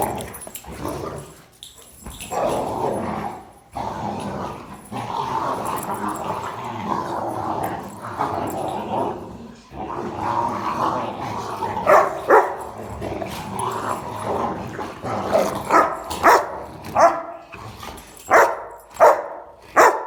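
A Rottweiler grumbles and growls in drawn-out, moaning play noises, breaking into short yips and barks.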